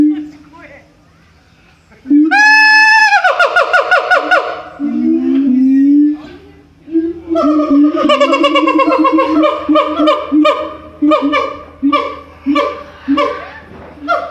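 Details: Siamang at Itozu no Mori Park in Kokura, Kitakyushu, recorded in January: a long, loud, rising harmonic whoop, then a fast run of sharp repeated barking hoots that rise and fall in bursts, with faint low human voices underneath.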